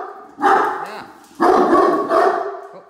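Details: Great Danes Mikey and Ellie, household watch dogs, raising the alarm as a truck pulls into the driveway: three deep, loud, harsh barks about a second apart, with a man's voice talking alongside.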